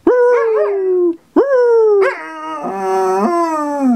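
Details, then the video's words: Nanook, a Belgian Sheep Dog (Groenendael), howling back on request after a person's howl: long sliding tones with rich harmonics, falling then wavering, broken by a short gap and ending in a lower drawn-out note. "How to get your Dog to Howl - Featuring the Belgian Sheep Dog (Groenendael) Nanook"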